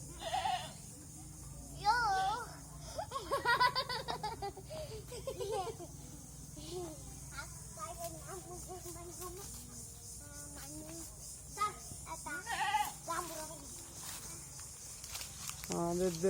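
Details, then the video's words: Native goats kept by a farmer: several wavering, quavering bleats with strong harmonics around two to four seconds in, then scattered shorter calls, mixed with frequent people's talk throughout. "দেশি ছাগল পালন করে"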